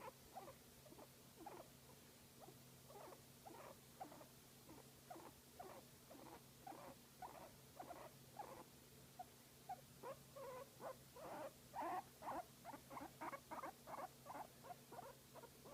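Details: Guinea pig enjoying a massage: a steady series of short, soft pulsed calls repeated about twice a second, growing stronger toward the end, over faint constant hum.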